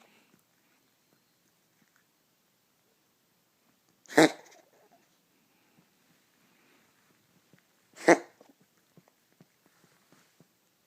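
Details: Cat sneezing indoors: two sharp, explosive bursts about four seconds apart, each a brief hissing snap, with near silence and a few faint clicks around them.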